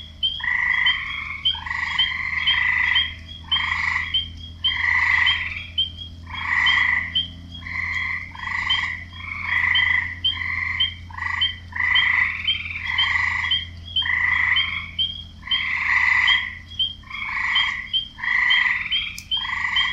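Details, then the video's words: Frogs calling to attract females, a busy chorus of short rasping croaks repeated roughly every second, overlapping voices mixed with small high chirps and a faint low hum underneath. "Frogs croaking"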